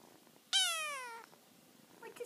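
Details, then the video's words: A kitten's drawn-out squeak to its mother, one high meow that falls steadily in pitch and stops abruptly after under a second, followed by faint soft sounds and a person's voice in a quiet room. "kitten talks to Momma"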